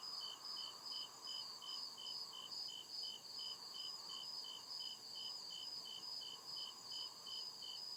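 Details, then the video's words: Crickets chirping at night in deep woods: steady pulsed high chirps repeating about two or three times per second, with a second layered trilling chorus and a softer lower hum underneath. "CRICKET CHIRPING SOUND"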